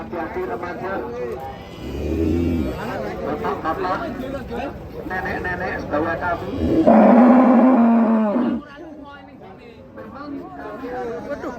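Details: A fat cow lets out a loud, steady, drawn-out low moo lasting under two seconds, with people talking before and after it.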